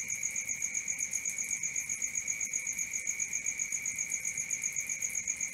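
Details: Cricket chirps after dark, shrill and relentlessly regular, beating about four times each second over a quiet low background.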